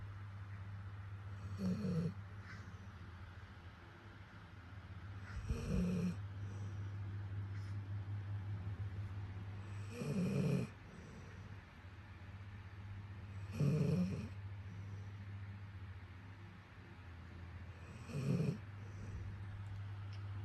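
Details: A sleeping dog, its face likened to an old man's, snoring: five breathy snorts spaced about four seconds apart over a steady low hum.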